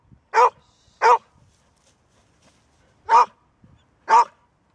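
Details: Golden Retriever, a dog that seldom barks, giving four loud, sharp barks in two pairs, about a second apart, with a two-second pause between the pairs; quiet otherwise.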